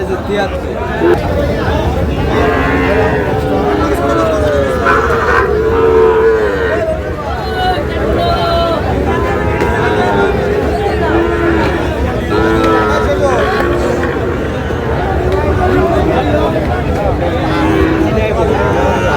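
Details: Sahiwal cattle at a busy livestock market near Narail give repeated mooing calls, some long and level, among loud overlapping human chatter and general crowd noise.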